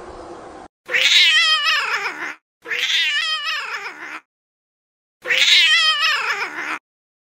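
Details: Domestic cats fighting: three long, drawn-out yowling meows, each about one and a half seconds, wavering and harmonically rich with a strained, rising-then-falling quality, separated by short silences; faint room noise before the first call.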